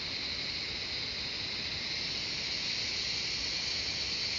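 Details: Cicadas singing in the jungle of Shivapuri Nagarjun National Park near Kathmandu, Nepal: a steady, dense, high-pitched buzzing drone with no breaks, from many insects together, holding an even level throughout.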